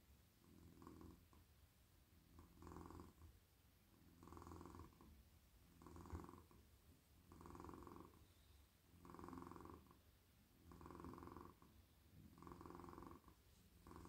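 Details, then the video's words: Male domestic cat, extremely cosy and relaxed in a lap, purring as it is petted over its whole body; a long run of regular purr pulses, about eight breath swells roughly every 1.7 seconds, low rumble throughout. "Cosy cat purring"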